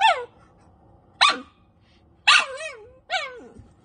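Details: Pet dog screaming at a cat indoors: four loud, harsh cries about a second apart, each a sharp high burst sliding down into a wavering, whiny tail.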